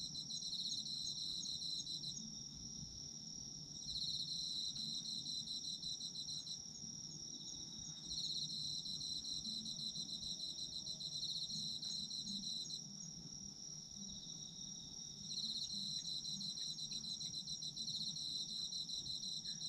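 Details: Autumn insects calling for sleep ambience: a dense chorus of high, steady trilling chirps, with pulsed bursts that swell every few seconds over a continuous ringing tone, and a faint low rumble underneath.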